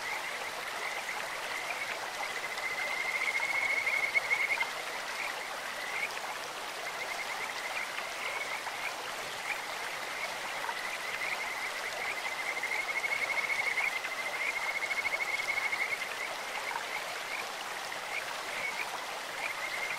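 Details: Over the rush of a clear stream, Kajika frogs call in a high, sweet voice like a bird or insect, with long trilled phrases rising in loudness twice and brief chirps between them.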